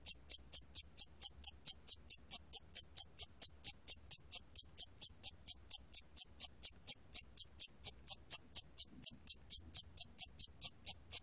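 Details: Steady run of shrill, clipped chirps, about two each second, from the cricket called 샴귀뚜라미 in Korean; National Institute of Biological Resources recording, 2020, with a soft low rumble behind.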